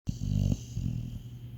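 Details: Labrador Retriever in deep sleep, snoring: one deep, rumbling low snore lasting about half a second, followed by a softer, quieter breath; steady faint high hiss in the background indoors.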